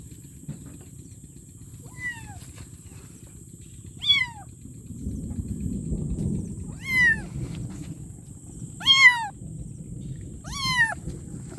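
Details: A kitten calls for its mother, starting with faint short meows that grow louder and more insistent, six cries in about twelve seconds, over a low rumbling background hum and thin high whine.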